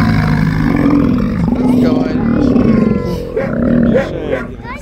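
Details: Steller sea lion in a city seaport, 10 April 2022: a continuous low, throaty roar with a rich buzzing tone, swelling and breaking into short growling pulses near the end.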